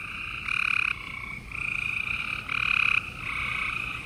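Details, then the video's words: Night chorus of gray treefrogs in Houston, Texas, in April 2020: overlapping buzzy trills, each about half a second long, from several frogs calling in turn, leaving hardly a gap between them. "Gray Tree Frogs Chorus"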